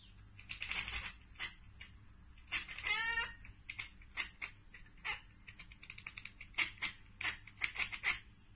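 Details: Cat chattering on spotting prey it cannot get to: rapid, uneven bursts of sharp clicking chirps, broken by one rising, bleating chirp in the middle, with soft room noise.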